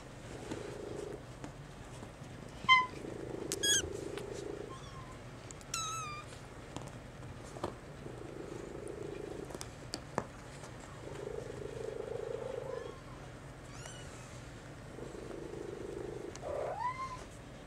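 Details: Young male Maine Coon kitten, brown mackerel tabby and white, still dependent on its mother and begging with meows; several short, thin, high mews scattered among pulsing purr-like rumbles and a steady low hum.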